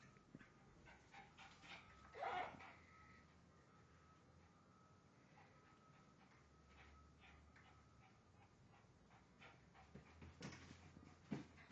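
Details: Bijou the dog, pressing to get out to the neighbour, lets out one sharp whining yelp early on and a thinner whimper near the end, with long quiet stretches and a faint hum between.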